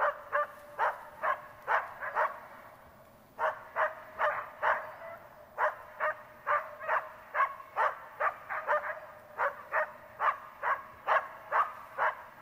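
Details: Tara, a Border Collie in search and rescue training, barks in long rapid bursts, roughly two barks per second with a few short pauses, sharp harmonic yelps dominating a quiet outdoor setting.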